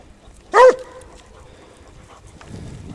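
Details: A Basset Hound of the French Rallye de l'Allagnon line on a scent trail gives one short, rising-then-falling harmonic bay, followed by quiet rustling.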